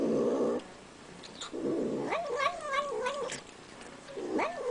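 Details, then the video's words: Pet cat vocalizing as it eats, a short harsh growly burst, then a wobbling, wavering moan that rises and dips several times, another brief rising note at the end, faint clicks of eating throughout. "Cat Makes Hilarious Sound When Eating"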